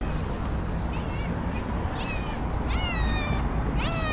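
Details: A white female domestic cat, described as angry and nervous, meows constantly. Three short, rising, nasal meows come over a loud, continuous low rumbling background noise.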